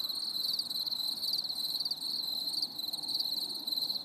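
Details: Crickets singing on a stormy summer evening: a dense, continuous high trilling chorus with pulsing overlapping chirps, steady throughout, no other clear sounds.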